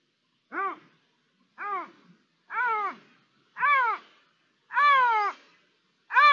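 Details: Iberian lynx calling, 3 December 2021: six loud, arched, harmonic wailing calls repeated roughly once a second, each rising then dropping and growing slightly longer; otherwise quiet.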